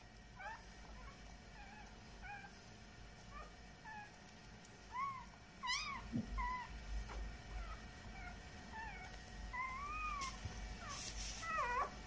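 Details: Newborn Samoyed puppies a few hours after birth, giving thin, high squeaks and wavering whines that rise and fall in irregular bursts. A louder cluster of cries comes near the end over a low steady hum.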